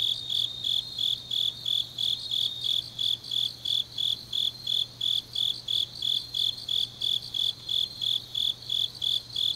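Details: Deep autumn night in Changnyeong, South Korea, where grass insects keep up a high, buzzy chirping, about three pulses a second in a regular rhythm, with a faint low background hum.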